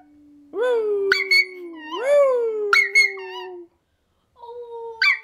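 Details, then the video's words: A Toy Fox Terrier puppy singing and howling along with people gives high, wavering notes that swoop upward and then slowly sink. "Toy Fox Terrier Pup Howling"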